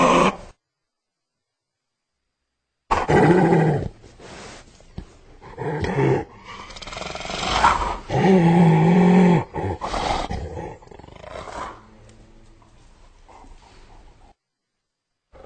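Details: Hyena growling and grunting in rough, low bursts, with a drawn-out tonal moan near the middle that wavers at a steady low pitch, then fading into quieter rumbling grumbles before silence.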